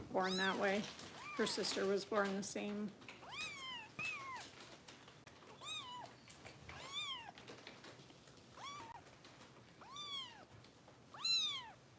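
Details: Bottle-fed foster kittens from Kitten Rescue in Los Angeles: after a person speaks, a kitten gives a steady series of high arched meows roughly one to two seconds apart in a quiet room.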